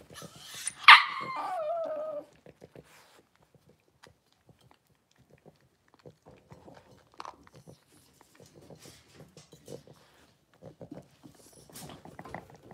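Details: One loud, sliding yelp that drops from high to lower pitch comes from a six-week-old blenheim Cavalier King Charles Spaniel puppy in an indoor pen, then quiet follows, broken by light taps and small shuffles.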